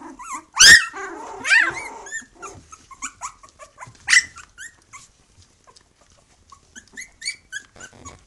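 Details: Puppies aged three weeks from the Khyi-Mi B litter with their mother Bhoomi: a loud piercing yelp opens, followed by whines and grunts, then softer scattered squeaks and short rising whimpers.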